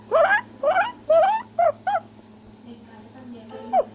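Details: Black-capped or tufted capuchin climbing a tree in South America, shouting and chattering: five rough, harmonic chatter notes in quick succession, then near silence over a low hum before one last cry.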